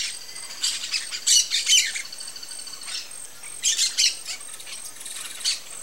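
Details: South American coati, also called brown-nosed coati or quati, giving short, high, harsh chirping bursts in small clusters, each burst rapidly pulsed and squawky, with a steady thin high tone in the background throughout.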